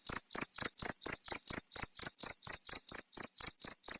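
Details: Cricket chirps for training pet birds, each chirp a short buzzy trill, high and clear, repeating about four times per second.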